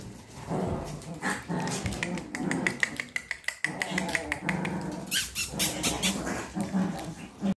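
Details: Chihuahua puppies at a home kennel in Simferopol, Crimea, growl and yap softly at play, with a person talking nearby.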